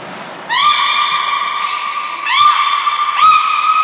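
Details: Beluga whales Niko and Mirai in training at Port of Nagoya Public Aquarium, 29 February 2020: three long, steady whistles with rich overtones, each beginning with a quick upward slide, the last two starting about a second apart.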